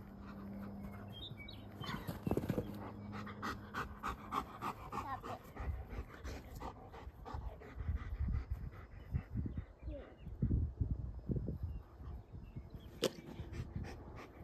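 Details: Panting of Rip, a fully trained two-year-old German Shepherd protection dog in Boise, during a game of fetch with an obedient toddler: quick repeated breathy huffs in uneven runs, with scattered thuds and light movement noise outdoors.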